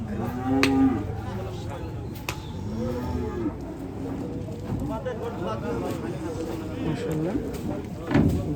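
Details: Cattle unloaded at a market in the morning give brief, short moos amid heavy crowd chatter, handling noise and sharp knocks.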